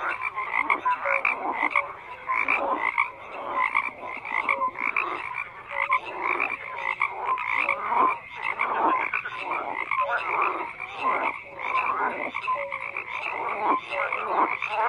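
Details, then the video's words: Overlapping frog croaks form a thick chorus, with rough pulsed calls rising and falling in loudness every second or two and occasional clear short notes. "FROGS CROAKING"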